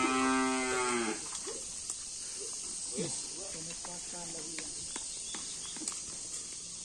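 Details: Bull from a karapan sapi bull-racing team gives one strong, steady lowing moo lasting about a second, which then drops away, followed by quiet background hiss and faint scattered clicks.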